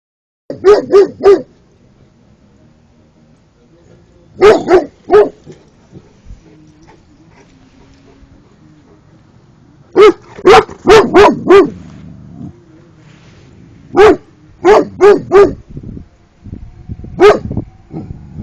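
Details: A 13-month-old Cane Corso barking at turtles: short bursts of three or four sharp, loud barks in quick succession, separated by pauses of a few seconds, with a faint low background hum between bursts.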